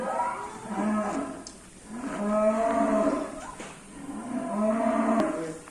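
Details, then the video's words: Indonesian cattle said to be angry and rampaging: three drawn-out harmonic moos in a row, each swelling and fading over about a second, with brief gaps between calls. "SAPI NGAMUK SUPER BRINGAS"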